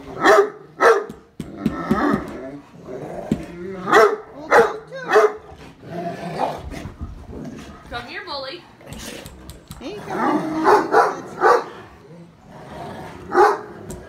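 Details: Vocal Great Dane barking at the owners' daughter. Runs of deep, booming barks are mixed with some growling, while people talk and a child's voice rises in between.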